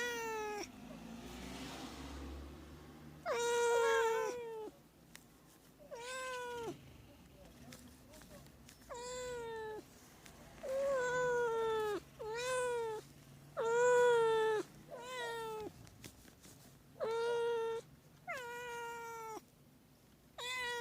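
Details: A domestic cat meowing repeatedly, sound meant to attract cats: about ten short and medium meows spread over twenty seconds, each with a falling bend, irregularly spaced, over faint background noise.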